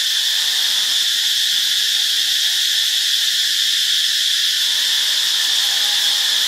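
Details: Cicada singing in Ubon Ratchathani, Thailand, on a Monday, March 15: an unbroken, loud, high shrill whine holding steady for the whole stretch, with no other clear sounds.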